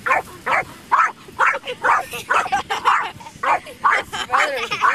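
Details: Dog playing with a feather in sand, barking in a steady run of short, sharp barks, roughly two per second, fairly evenly spaced throughout.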